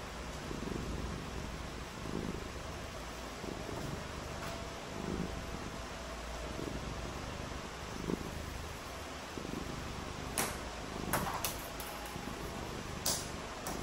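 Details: A cat purrs on a rainy day while cats play in the rain. The soft rumbling breaths rise and fall roughly every second under a steady wash of hiss, with several crisp ticks and knocks late on.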